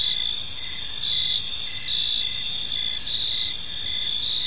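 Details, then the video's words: Short stretch of evening park ambience filled with crickets: shrill layered trills and pulsing chirps blending into one continuous high-pitched wash. "Cricket Sounds in a Peaceful Park"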